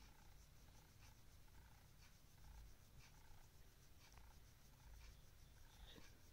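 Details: Simba, a pet cat, at midnight after waking its owner in the middle of the night; a low, steady purring rumble runs throughout, with faint brief higher clicks and rustles above it.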